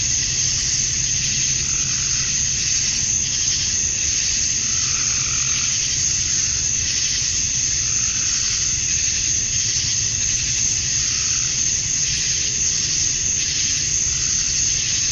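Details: Male cicadas singing to attract females on a summer evening at dusk in Georgia, USA, a seamless high electric buzz crowned by a thin ringing note, with faint pulsing swells every couple of seconds and a low distant hum.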